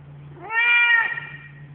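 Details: Loud meow from a very vocal male pet cat: the tone rises quickly, then holds steady and bright for about half a second before fading, in an otherwise quiet indoor setting.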